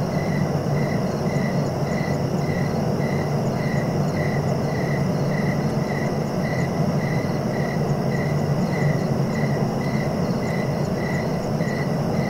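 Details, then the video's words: Regular cricket chirping, brief pulses repeating roughly every half second in an even rhythm, with a heavy steady low drone underneath. "Relaxing cricket sounds for sleeping"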